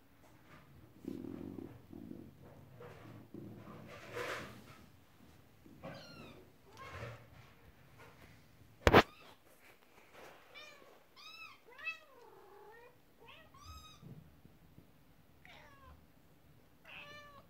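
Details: Indoor cats, a mother cat upset and kittens playing with their first toy, a horse-drawn carriage; a busy run of loud, high, arched meows in the second half, after rustling and one sharp knock.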